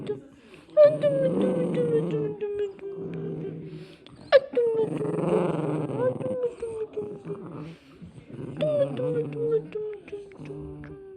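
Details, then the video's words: Cavalier King Charles Spaniel named Atom snoring in its sleep. Whistly, falling, nasal tones come in breaths roughly every three to four seconds, with brief quiet gaps between them. "キャバリアのイビキ💤Cavalier snoring💤查尔斯王阿童木打呼噜"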